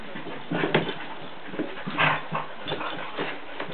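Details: Sadie and Charlie, a Jack Russell terrier, two household dogs at play, give irregular grunting growls and brief whimpers roughly once a second, one louder yelping burst near the middle, over dull background hiss.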